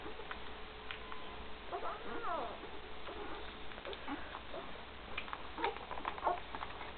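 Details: Great Dane puppies aged one week, with mother Gracie, 2012: a short wavering whine among soft squeaks and snuffles, quiet indoor hum beneath.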